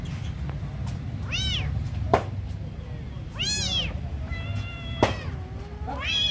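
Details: Hungry kitten at feeding time gives three loud arched meows spaced about two seconds apart, plus a longer flatter cry, with a couple of sharp knocks and low background rumble.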